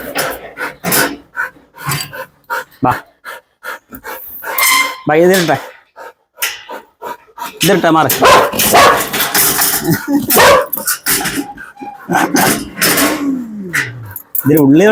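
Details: Belgian Malinois dog barking in short, sharp bursts, some quick and clustered, others spaced apart, with people talking throughout and a growl-like rasp in places.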